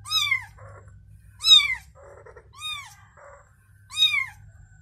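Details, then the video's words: Domestic cat mother with her newborn kitten: four loud, clear, high-pitched mews, each falling in pitch, about one per second, separated by brief soft scraping sounds. "Mother Cat Said To Newborn Kitten: You Can Rest Assured To Sleep, I Am Here And Protect You"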